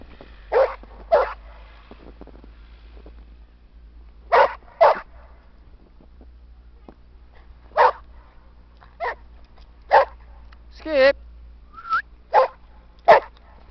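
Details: Sam the English Springer Spaniel romping in a snowy park with Skippy the Weagle; around a dozen crisp barks in loose pairs, plus one drawn-out, wavering yelp near the end, against faint low hum.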